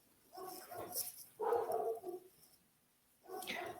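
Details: Two pet dogs at home barking during an online class, described as never stopping; three rough bursts of barking spread over a few seconds, fairly distant and muffled indoors.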